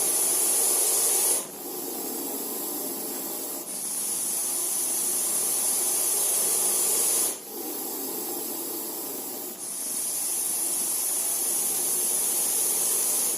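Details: Russell's viper hissing: a loud, rough, broadband hiss in long breaths of two to four seconds, each broken by a brief dip before the next, with a thin steady high tone above.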